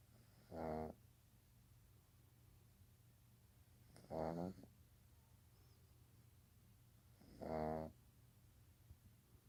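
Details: A baby pug asleep indoors snores in regular rhythm, three harsh buzzing snorts spaced about three and a half seconds apart, low electrical hum underneath.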